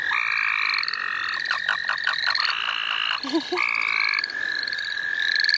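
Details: A frog chorus in the St. Olaf College Natural Lands: steady high trilling overlaid by louder banded trills that start and stop, a burst of rapid pulsed notes, and a brief low voice.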